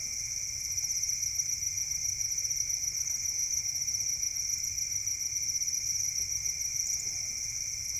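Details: Farmed crickets raised as feed for songbirds, kept in a rural cricket farm in Indonesia: a dense, continuous high-pitched chorus of many insects, steady trilling bands with no pauses across the whole clip.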